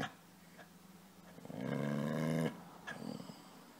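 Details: A single short, low, rumbling growl-moan lasting under a second comes from Casy, a playful dog asking to be petted, with faint rustling before and after.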